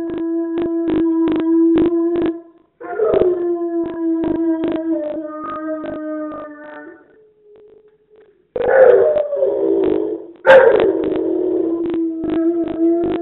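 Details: Pet dog howling in a short, weak effort: steady, tonal howls with strong overtones, a brief pause near the middle, then two renewed howls that start higher and settle down to the same level pitch.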